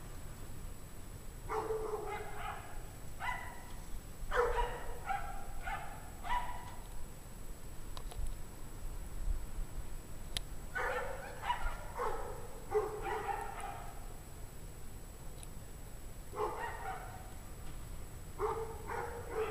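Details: Several dogs barking at 17 degrees Fahrenheit around 5 PM on January 9, 2009: distant, echoing barks come in runs of three to five, separated by pauses, with a constant low droning hum underneath.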